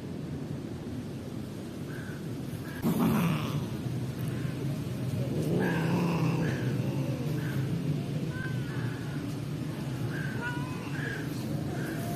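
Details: Stray street cat growling in anger as another cat comes near: low rumbling growls swelling around the middle, with brief higher whining cries scattered through, over a steady outdoor hum.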